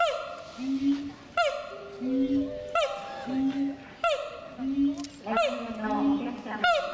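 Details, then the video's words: Siamang at Chiba Zoological Park on 14 December 2014, its calling quickly drawing a crowd of visitors. Loud, regular calls repeat about every one and a half seconds, each a sharp falling note followed by a lower, steady droning tone. "鳴き声で観客を一瞬で集める♪ フクロテナガザル"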